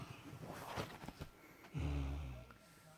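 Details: A tired male Great Dane sleeping snores with a deep, rumbling, low-pitched drone after a few soft breathy sniffs.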